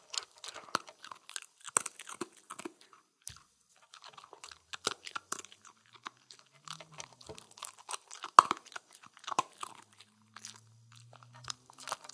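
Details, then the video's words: Spencer, a Shetland Sheepdog or sheltie, eating a Halloween meal of pumpkin, seaweed, kibble and yogurt indoors; dense crunchy chewing and biting clicks come in quick bursts with short pauses, and a faint low hum appears near the end. "Dog EATING FOOD"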